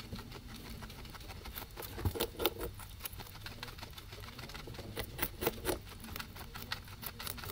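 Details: Two guinea pigs eating grass, with soft crunching and rapid clicking bites in uneven bursts.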